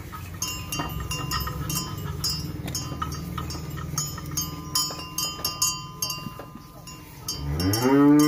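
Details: Farmed Simmental and Limousin cattle; metallic clanking and ringing tones fill most of the recording, then a loud, low, harmonic moo swells and rises in pitch during the final second.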